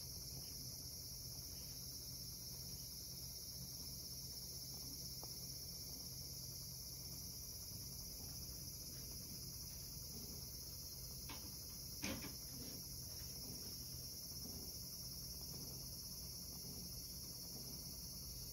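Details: Cicadas on a summer evening give a steady, high-pitched shrill drone that holds without a break.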